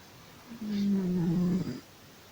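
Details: Sleeping domestic cat snoring: one drawn-out, low, steady tonal snore lasting just over a second, slightly wavering, in an otherwise quiet room.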